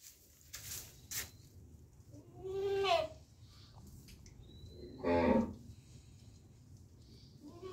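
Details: A baby goat gives two short, wavering, nasal bleats about two seconds apart. They sit over a steady low background hum, with scattered clicks and rustles around them.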